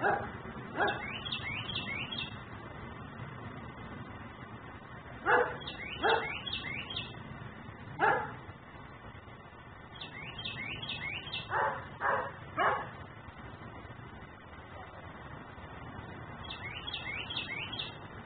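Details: Dog left outside in Mecklenburg, barking constantly as a neighbourhood nuisance, recorded by a camera in ten-minute cycles; single barks and short runs of barks spread through, mixed with repeated high chirping phrases from a bird.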